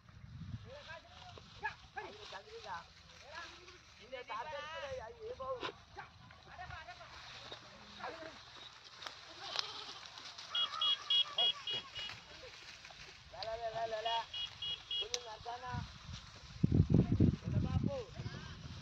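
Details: Goats bleat repeatedly in shaky, wavering calls spread across the recording, some short and others drawn out, mixed with ongoing human chatter, brief high chirps and a burst of handling noise near the end.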